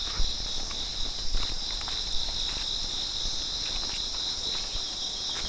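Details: Crickets calling all around in the hills of Raitmoni Para, Alikadam, Bandarban, before sunrise in the quiet early morning: a continuous shrill, high buzzing drone that holds steady throughout, with faint scattered ticks and footstep-like taps underneath.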